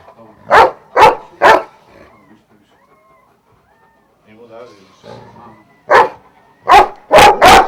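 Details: Šarplaninac from a twelve-dog Vujanski-line kennel in Jasika near Kruševac, barking in two bursts, three strong barks at the start and four toward the end, with quieter voices and murmuring in the gap between.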